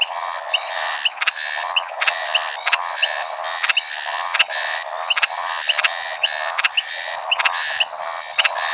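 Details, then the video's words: Maracas snouted treefrog (Scinax eurydice), a shy species widely distributed in Brazil, calling: loud rapid series of harsh rattling notes, each burst repeated about twice a second with steady rhythm, plus faint clicks and buzzing of other frogs. "The shy Maracas snouted treefrog - Scinax eurydice"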